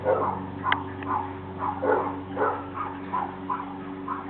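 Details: Two dogs, a 70 lb male Razoredge pit bull and a 10 lb Jack Russell terrier, guarding their property and barking in short mid-pitched bursts about every half second, over a steady low electrical hum.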